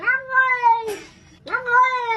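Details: Domestic cat giving two drawn-out, clear meows with rich harmonics, the first long and slightly falling, the second rising then steady, separated by a brief breathy sound, with a person saying hello afterwards.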